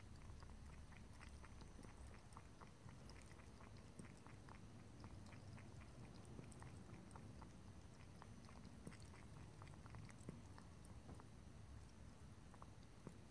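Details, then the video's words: A cat drinking, lapping and licking water, heard as a rapid run of soft, wet ticks, several each second, over a steady low hum. "ASMR Cat: Drinking, Lapping and Licking Water"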